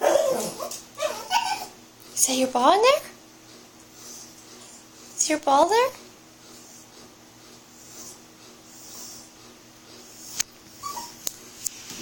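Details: Puppy making silly sounds while playing with its ball: two short, high, wavering whines, each sliding up and then down, about three seconds apart, with soft vocal noises at the start and a few sharp clicks near the end, indoors.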